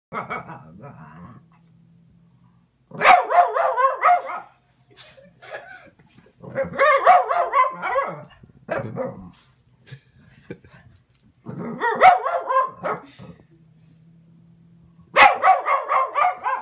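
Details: Boston Terrier yelling at a kitten: loud, drawn-out yowling bursts, each lasting a second or two, with short pauses between.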